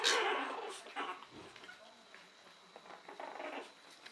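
A Chihuahua gives a sharp, high bark, then a second bark and softer yips.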